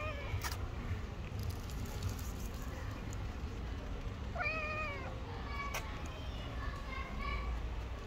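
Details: Hungry stray cat on the street, hugging feet and begging for food; a few rising-falling meows near the middle and toward the end, over steady low urban traffic rumble with some speech.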